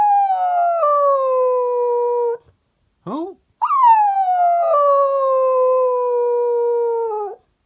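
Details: A cocker spaniel singing along to "Who Let the Dogs Out" gives two long, wavering howls that slide gently downward in pitch; Cocker Spaniel.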